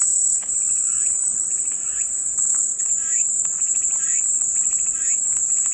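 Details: Steady piercing cicada chorus, one unbroken high-pitched hiss, with quieter pulsing, chirp-like bursts lower in pitch repeating through the background.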